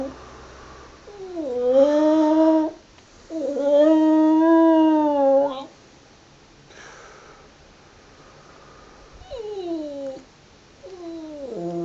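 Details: Softer singing from Wilson, a border terrier, indoors: two drawn-out, tonal howls with slightly arching pitch, then quiet gaps and a couple of brief falling whines near the end.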